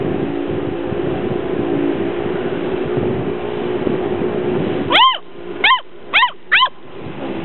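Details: Gordon Setter puppies, six weeks old, playing outdoors in sunshine in 2009; after a stretch of low rumbling background noise, four short high yapping barks come in quick succession near the end.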